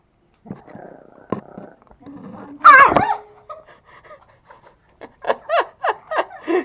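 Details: Angry toy Pomeranians, the pair Pomo and Pomy kept as pets in Kathmandu, Nepal: one loud harsh bark burst, then quieter growly noises and a quick run of five sharp yapping barks at the end, with faint voices.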